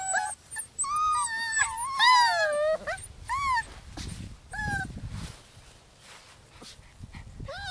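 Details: Rescued puppies from Holly's litter, six weeks old, cry in loud, wavering, drawn-out whines that bend downward, overlapping at first, then fade into soft rustling with a few late whimpers.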